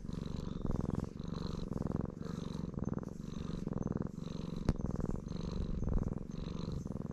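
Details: Black stray cat purring at high volume as it is stroked, deep buzzing rumble pulsing in clear breath cycles about every second, with one sharp click partway through.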